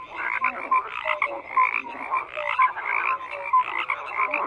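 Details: A chorus of frogs: repeated raspy croaks overlap in rhythmic waves, punctuated by brief clear tonal blips, steady and unbroken throughout.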